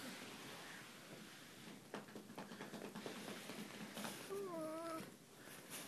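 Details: A German Shepherd that refuses to get off the bed gives a brief, wavering, nasal whine that dips and rises near the end, after a person speaks asking it to get down.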